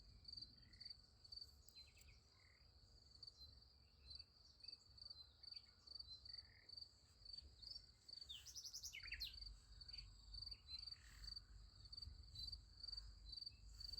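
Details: Night crickets by a sunflower field keep up a continuous shrill, pulsed chirping, about two pulses a second, with a brief scratchy buzzing burst partway through over a faint low hum.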